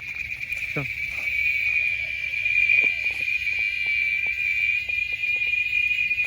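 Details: Cicada, loud enough to hurt the listener's ears, singing outdoors where doves gather: a steady, unbroken high buzz, with a faint low bird note near the start.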